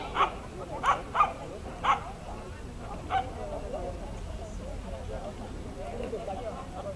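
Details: Dachshund at an agility trial, Römercup in Trier, 2012: four short, sharp yipping barks within two seconds, then one more bark near the three-second mark, with people talking in the background.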